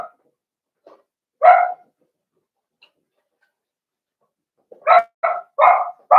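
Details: Seven-week-old Blenheim Cavalier King Charles Spaniel puppies, part of a litter of five, in an indoor pen. A lone sharp bark is followed after a pause by a quick burst of four high, yappy barks.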